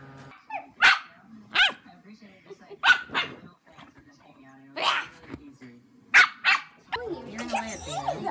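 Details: Puppies give short, sharp yapping barks in separated bursts, roughly five over eight seconds, with a person talking quietly between them and a busier stretch of mixed voices at the end.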